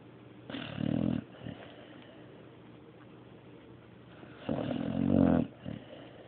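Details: Snoring dog named Mario: two long, rough, throaty inhalations about four seconds apart, each swelling to a low rumbling peak before fading into quiet breathing and faint background hum.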